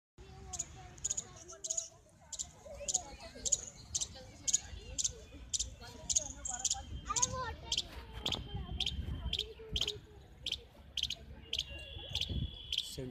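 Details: A small baby squirrel on a tree in Central Park, Jaipur, gives sharp, high chirps roughly twice a second, a sound made continuously, perhaps searching for its mother or watching visitors; a person talks underneath.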